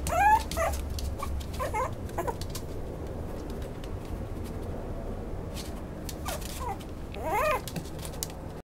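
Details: Maltipoo puppy giving a few scattered, thin whimpers: a sharp whine at the start, a couple of soft cries, then a pause before two more wavering whines near the end.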